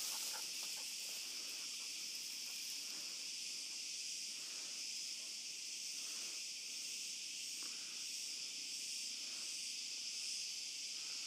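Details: Night chorus of cicadas in an olive grove, heard on a dog walk: a continuous shrill, hiss-like drone that never pauses, overlaid by soft regular low thuds like footsteps every second or so.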